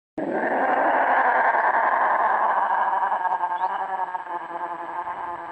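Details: Lynx, or wild cat, calling during mating: one long, harsh, sustained yowl rich in stacked harmonics, starting abruptly and holding steady for about five seconds before slowly wavering and fading, with a slight echo.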